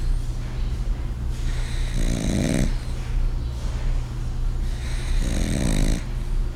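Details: A French bulldog, seemingly glum, snores in loud, rasping breaths that return roughly every three seconds, the snoring growing louder and louder.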